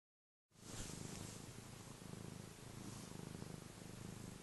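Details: Happy domestic cat purring: a steady low rumbling throb, continuous after a brief silent start, with soft breathy hiss above.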